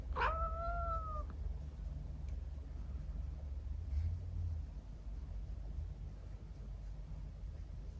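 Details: Nuchiko, a gentle, clingy female Scottish Fold and Persian mix cat born November 2022, gives one clear, slightly falling meow lasting about a second while being patted on the bottom at bedtime, followed by quiet indoor hum and a faint soft rustle.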